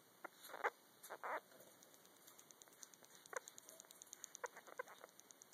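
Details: Singing from Yoruichi, a female sugar glider with a joey in her pouch, filmed at night: a few louder chirping bursts early, then sparse soft clicks and ticks trailing off.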